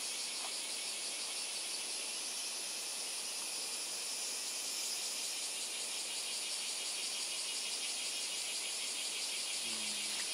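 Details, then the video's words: On Miyako Island, Japan, insects keep up a constant piercing, buzzy chorus with subtle rapid pulsation for ten seconds; a brief low tonal sound appears near the end. "昆虫たち insects bugs"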